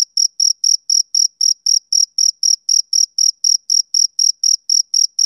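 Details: Summer-evening chirping from a male cricket, a clean train of sharp high chirps at about four per second, steady in loudness and otherwise quiet.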